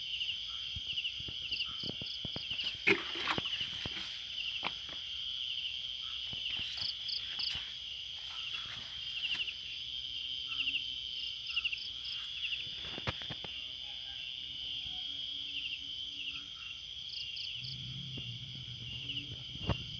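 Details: Crickets at night in a quiet garden: a steady high shrill drone runs throughout, with short bursts of brief higher chirps in small groups, scattered clicks and taps, and a low rumble near the end.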